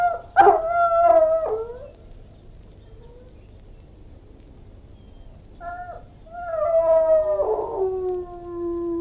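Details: Irish Wolfhound howling and whining: drawn-out, tonal cries with rich overtones that slide and waver, a sharp yelp near the start, a quiet pause mid-way, then a second mournful howl sinking lower in pitch.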